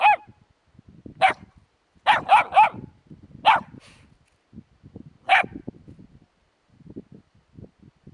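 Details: Puppies with a hedgehog letting out short, high yaps: a single bark, a fast run of three, then two more spaced apart, with soft tapping and shuffling between them.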